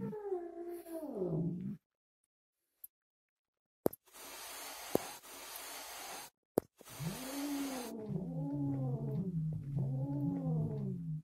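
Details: A Siamese cat, angry after a hysterectomy, gives low, wavering yowling meows broken by harsh, breathy hisses.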